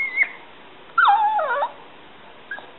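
A Yorkshire Terrier gives high, squeaky whines that slide and warble like dolphin noises while begging for a snack.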